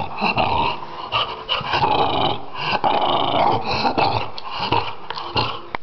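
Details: From Finland, a French Bulldog growls continuously in a harsh, buzzing rumble that swells and dips, with quick breaths punctuating the grumbling and a sharp click at the end.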